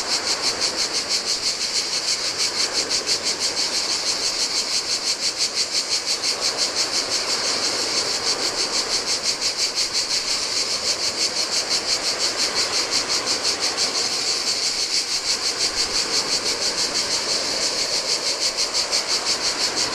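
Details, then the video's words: Cicadas in the summer heat beside the Adriatic on a lonely Greek island beach: a sizzling, evenly throbbing buzz about three pulses per second held throughout, backed by continuous rolling surf. "Cicadas by the Sea - Ocean Waves & Cicada Sounds"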